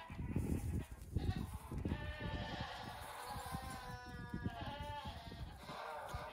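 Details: Goat kids, the oldest nearly two weeks old, out on a farm for a short morning play session of hopping and then resting in the sun. Several wavering, nasal bleats overlap after a quiet start, over steady low rumble and handling noise.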